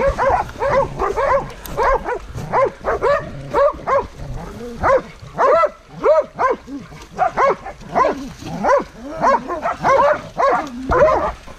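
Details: Hunting dogs confronting a wild boar, several dogs barking hard and fast in overlapping, uneven bursts, some yelps arching up and down in pitch, nearly two barks a second over the whole stretch.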